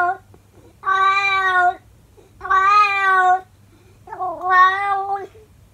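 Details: Calico pet cat howling its daily song to its owner inside: three sustained, level wails, the last one wavering and dipping in pitch, separated by short silent pauses.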